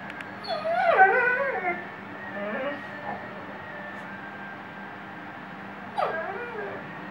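A Weimaraner howls in wavering, tuneful moans that bend up and down, then adds a brief final yowl.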